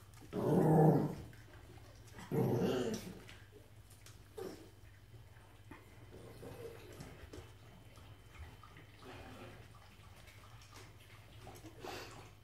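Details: Norwich Terrier from a Q litter: two loud, rough, low growling bursts about a second each, close together at the start, then only faint, scattered softer sounds over steady low background hum.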